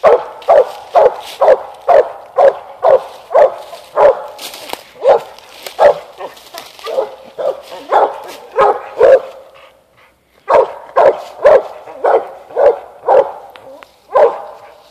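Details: Mountain Cur pup, eight months old, barking up a tree at an animal on a limb; long fast run of loud chopping barks, about two a second, a brief break, then the barking resumes.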